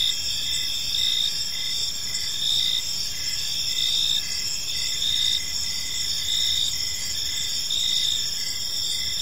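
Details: Gentle evening cricket chorus in a serene park, shrill continuous trills overlaid by rhythmic short chirps repeating steadily, with soft ambient rumble beneath.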